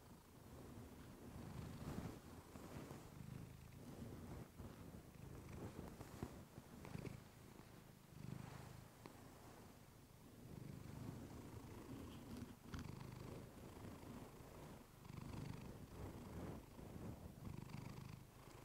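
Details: Clementine, a pet cat, purring close to a fluffy microphone for sleep and relaxation; a steady low rumble pulsing in long breaths, with a few soft clicks and rustles over it.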